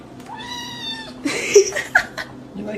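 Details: A cat gives one steady, drawn-out meow lasting almost a second, level in pitch with a rich, clear tone. Laughter and voices follow from people in an indoor room.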